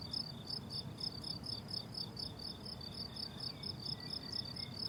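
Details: On a summer meadow in bloom, crickets keep up a high, rhythmic chirping of short bursts, about two per second, layered at two pitches, while a soft low rumble runs beneath and a faint thin whistle rises near the end.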